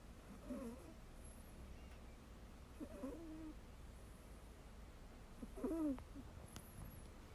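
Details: Sleeping Ragdoll cat Mel, resting on another cat as a pillow, breathes out in squeaky peeping snores, three wavering whistles spaced about two and a half seconds apart in a quiet indoor setting.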